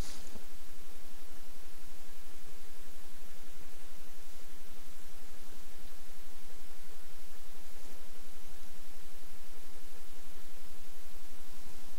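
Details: Constant loud hiss of static or white noise from start to finish, with no animal sound heard.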